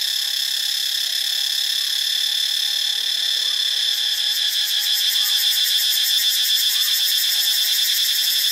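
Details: Cicadas in Ubon Ratchathani, Thailand, producing a continuous high buzzing that turns into a fast rhythmic throbbing partway through, roughly four beats per second. Faint soft chirps sound underneath.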